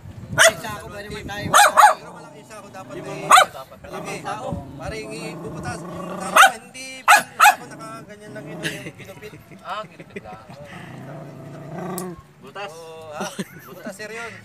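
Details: Female Belgian Malinois reacting to her own reflection with sharp single barks and quick doubles at irregular intervals, over steady background talk and household noise.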